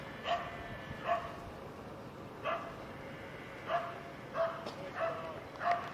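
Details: Keeshond at an AKC Novice Standard trial of a Keeshond club in Southern California, August 19, 2012; a dog gives seven short, harmonic, mid-pitched barks spaced unevenly over six seconds against a steady background hum.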